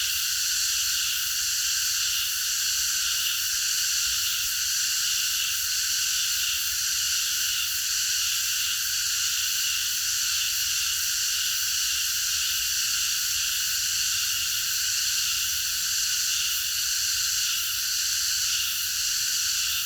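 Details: A nighttime park full of singing cicadas: a long, uniform high-pitched buzzing wall of sound, constant in loudness with light rhythmic shimmer and no gaps.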